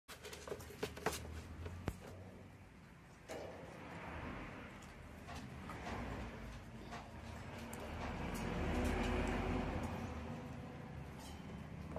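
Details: Indoor background noise with scattered clicks, knocks and thumps, and a soft rushing swell near the end, but no clear animal voice.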